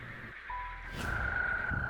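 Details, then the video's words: Male toad in spring near a pond in western Kazakhstan sings a long, steady, high trill, even on one pitch, inflating its throat sac; the chorus belongs to breeding toads. "Если весной, проходя мимо водоема, вы слышите такое журчание, то знайте, этот концерт принадлежит жабам."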